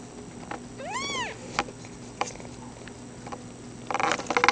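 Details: A single clear, arching meow from a foster kitten, one of a litter with Runty and Toad, followed by quiet clicks and then a burst of rustling at the end.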